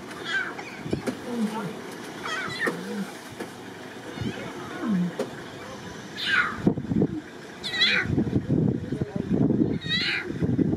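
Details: Lion cubs calling back and forth with their mother on the savannah: short, falling, mew-like cries, several in quick succession in the second half, over a low rumbling background with soft voices earlier on.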